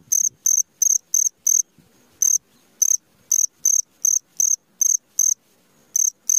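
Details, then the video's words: Nighttime cricket, shrill high-pitched chirps in short runs of three to five pulses separated by brief pauses, faint low rustling in the quiet gaps. "SUARA JANGKRIK TENGAH MALAM"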